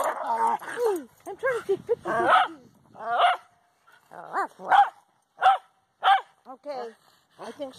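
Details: Dogs playing tag at a dog park, giving short, sharp yips and barks in quick bursts, some spaced about half a second apart, with people talking over the first half.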